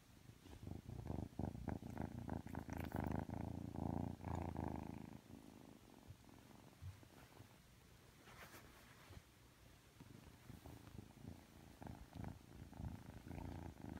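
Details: Aki, a three-month-old Ragdoll kitten, being affectionate just after waking up, purrs in a soft, low, rumbling pulse. The purr is strongest over the first five seconds, then fades to a faint hum with light rustling.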